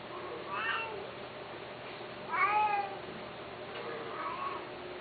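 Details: Mating Persian and Himalayan cats: three long, rising-then-falling wailing meows at about one-second gaps, the middle one loudest and most tonal, over a faint background hum.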